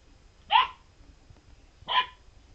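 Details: A Golden Retriever puppy, unhappy about being offered a lemon, gives two short separate barks roughly one and a half seconds apart against a quiet indoor background.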